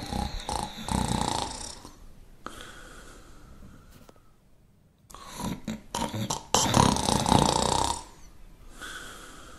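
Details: Shar Pei dog snoring, rough rasping snores in loud bursts of about two seconds, separated by quiet gaps, with a short whistling tone near the end.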